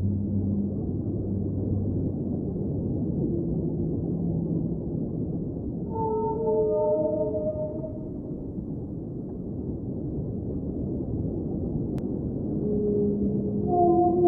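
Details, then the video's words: Sung whale notes heard underwater: low murmuring hums at first, then a group of higher wavering moans with overtones, a quiet gap with only ocean rumble, and more rising wails at the end. "Underwater Whale Sounds - Ambient Soundscape | Whale Singing"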